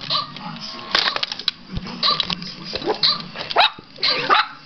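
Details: Yorkshire Terrier puppy named Lulu reacting to an old battery-powered robot dog toy she dislikes; short sharp barks scattered among the toy's buzzy electronic tones, with a woman's voice urging her not to bark.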